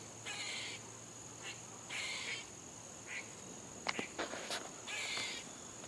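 A squirrel gives harsh, raspy barks in short bursts over a steady high insect drone.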